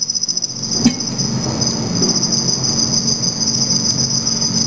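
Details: Several black field crickets (Teleogryllus oceanicus) wandering in a study enclosure at night under red light, with mating and aggression between them. An unbroken high trill with a single sharp click near the start.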